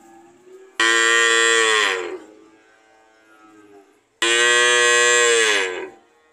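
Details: Two long moos from a cow, each over a second, bright and full of harmonics, tapering and dropping in pitch at the close, with a low hum between them.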